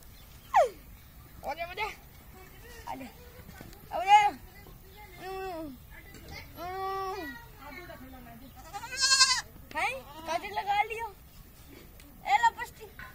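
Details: Young goat kids at play with a child: short, quavering, nasal bleats come one after another at irregular gaps, some higher and strained, interspersed with a child's voice and nearby talking.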